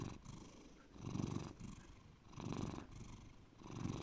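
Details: A pet cat named Bear purrs low and deep; three rumbling surges pulse with its breathing, separated by quieter airy gaps, in a calm indoor setting.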